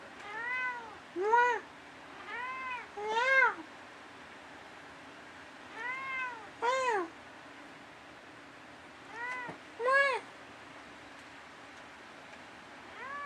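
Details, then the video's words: Night-time conversation between a house cat called Dusty and his owner: paired meows, a softer one followed quickly by a louder, sharper one, repeated in four clusters with quiet gaps in an indoor room. "Talking with my cat Dusty"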